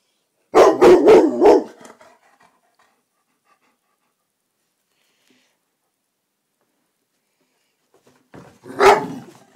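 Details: Black Labrador named Rossi taking on a silk orchid in a living room at evening, barking indoors: a rapid run of four loud, sharp barks, a long silence, then one more single bark near the end.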